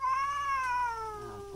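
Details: Stray rural cat squaring off against another cat in a repeated fight, giving a loud, drawn-out tonal yowl with rich harmonics that holds steady and then slowly falls in pitch over about a second and a half.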